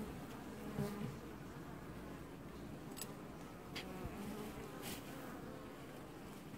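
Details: A colony of honey bees washboarding at the hive, filmed in an apiary during early July 2019; an even, rough buzzing hum with brief high clicks scattered through.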